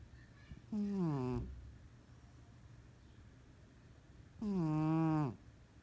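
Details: Domestic cat snoring heavily while sleeping and dreaming: a pair of buzzy, toned snores, each sliding slightly downward and ending abruptly, separated by about three seconds of quiet indoor hush.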